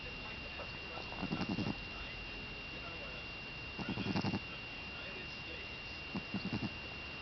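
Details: A Boston Terrier called Buckeye snoring while asleep: three quick fluttering rattles, each a chain of tiny pulses, spaced roughly two and a half seconds apart against a faint constant tone.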